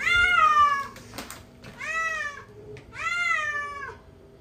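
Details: Cat giving three clear, bright meows, each bending up and then falling away, with short quiet gaps between them and a soft click in the background.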